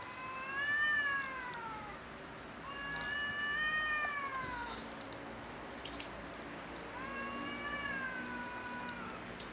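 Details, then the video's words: Domestic cats quarrelling over territory on house roofs: long drawn-out harmonic yowls, each swelling then sagging in pitch, three wails about every three seconds over faint background hiss. "Cats quarrel over territory on house rooves"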